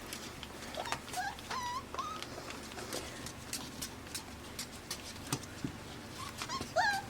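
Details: Five-week-old AKC Pembroke Welsh Corgi puppies born June 20, 2026 in Arkansas, playing together; scattered high thin whines and squeaks rising and falling, with clicks and scuffling of paws throughout.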